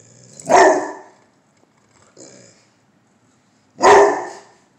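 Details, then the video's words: Bullmastiff giving two deep, loud barks about three seconds apart, with a faint short sound between them; a person laughs and praises the dog as brave. "The Brave Bull(Mastiff)"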